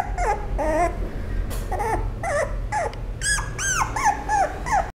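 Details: Toy Poodle whimpering in a steady stream of thin, high squeals, several arching up and down in pitch, about two a second, with a low background hum throughout.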